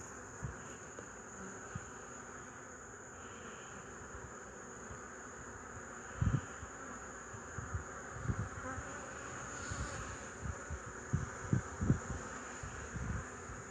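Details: Honey bees on 8 March 2015 give a continuous low droning hum. Irregular dull thumps and bumps break in repeatedly during the second half.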